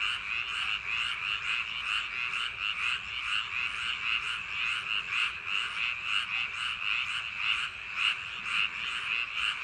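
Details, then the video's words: Many frogs in paddy fields on a summer night croak together in a dense, throbbing chorus. Quick pulses repeat steadily with no gaps, backed by a faint hiss. "여름밤 논두렁개구리소리"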